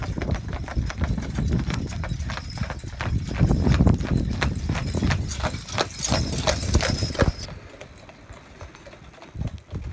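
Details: Pair of Clydesdale horses driven in harness by their owner, visiting from Scotland; rapid, uneven clip-clop of hooves, dense clattering strikes that fade and soften after about seven seconds, with faint low rumble beneath.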